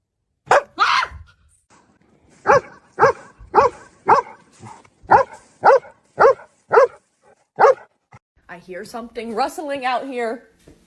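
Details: Dog in a funny pet compilation barking in a run of about nine sharp, loud barks spaced roughly half a second apart, after one early bark; a wavering, voice-like sound follows at the end.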